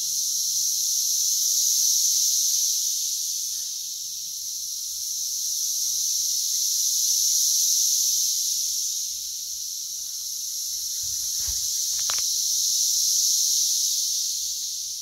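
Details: West Virginia Brood X emergence, June 2021, plentiful periodical cicadas averaging about 85 dB on a phone app: high, hissing chorus pulsing in long swells roughly every five seconds, with a brief sharp knock near the end.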